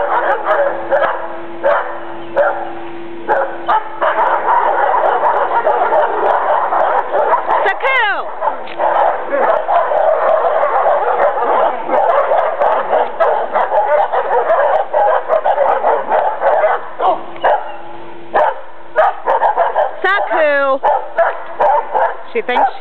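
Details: A heavily pregnant female Alaskan Malamute, due with puppies in about two weeks, growls and grumbles continuously with yowling rises and falls, guarding her corner from another Malamute.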